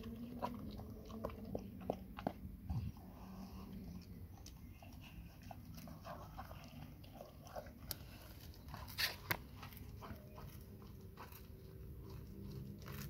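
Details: Indoors, the Labrador Nona works on a big grilled sandwich, giving sharp snapping bites and softer chewing, with a few louder crunches near the middle and end.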